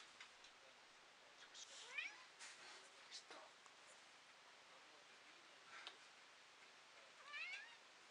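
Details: Domestic cat, one of two female cats named Romashka and Podushka, recorded March 2022, with a gentle little voice; two soft, high, rising meows, one near two seconds and another near the end, with light rustling and clicks between.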